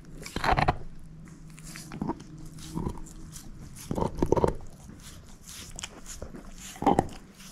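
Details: Moose, a female shepherd mix dog, gnaws on a bone: loud crunching bites come in bursts near the start, middle and end, with quieter gnawing and lip smacks between them in a quiet room.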